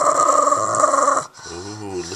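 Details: A female Boston Terrier growls steadily and rumbles possessively over her new toy while a person speaks nearby.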